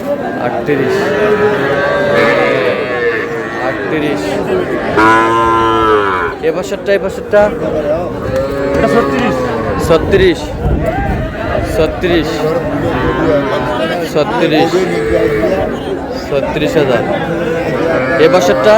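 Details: Sahiwal cattle, bulls and heifer calves, bought by a Barisal farmer on 19 August: deep drawn-out moos with rising and falling harmonic arcs, loudest around the fifth second, over constant crowd chatter and voices.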